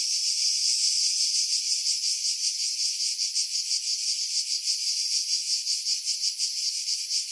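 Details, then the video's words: July 2018 cicada chorus from pines above Pefkos Bay on Skiros, Greece, recorded with a Sony RX3 and external mic: steady shrill rasping drone, rapidly throbbing in intensity, wind removed by filtering. "Cicada Sounds, July 2018 Skiros, Greece"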